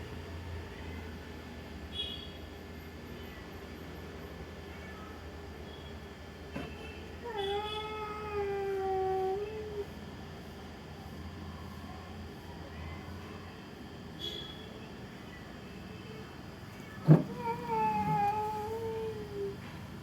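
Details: Cat making crying sounds on seeing another cat: a long moaning wail midway, then a sharp knock and a second rising-falling cry, against low rumbling background noise.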